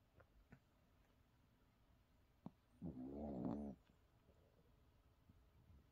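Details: A Shih Tzu sleeping comfortably on its back gives one drawn-out snore, a buzzy, mid-pitched, slightly wavering drone under a second long, with soft clicks and breathing around it in a quiet indoor room.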